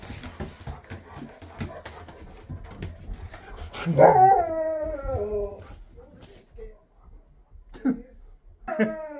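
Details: Husky, named Sherpa, vocalising as his best friend comes to his new home: after soft background noise, a loud, drawn-out harmonic howl falls in pitch over about a second and a half, then short whiny yips follow.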